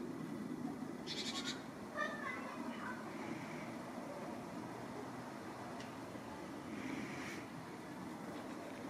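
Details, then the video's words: A Scottish Fold cat, hidden under a blanket, gives short, strained, angry meows at birds it is watching. "Vincent miaut böse wegen Vögel/ angry Scottish Fold meowing at birds 😸"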